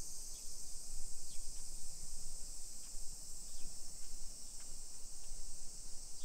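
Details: Summer cicadas droning in a hillside residential suburb of Nisshin, near Nagoya, Aichi, Japan, at 1 PM on 28 July 2021: a steady high, hissing buzz without pause, with a few faint short chirps and low rumble from footsteps and traffic.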